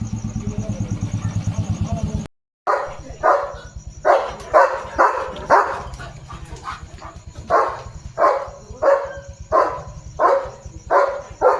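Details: Leo, a German Shepherd on a farm, on evening barking duty to protect his area: after a brief pause, a run of about a dozen loud, sharp barks spaced roughly every second, with a low pulsing hum underneath.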